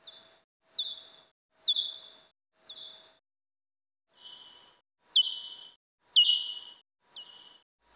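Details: Time-expanded pipistrelle bat echolocation, common or soprano pipistrelle: sharp downward-sweeping chirps that flatten into a short tail, about once a second.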